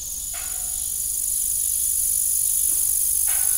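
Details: On an old farm at evening, crickets sustain a high, ringing trill that swells gradually, with two short creaky bursts at the start and end beneath it.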